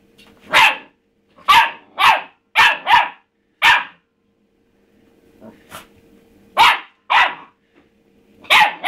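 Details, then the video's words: Rusty, a pet pup, barking at an empty food bowl; a cluster of five loud sharp barks, a short lull with soft noises, then more barks in quick pairs. "rusty barking at his bowl"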